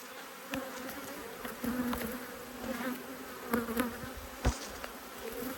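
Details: Honey bees from two agitated hives, cross at being opened and inspected by an Australian beekeeper, March 2022; steady buzzing hum near 250 with a harmonic above, loud bees zipping past the microphone in sharp bursts.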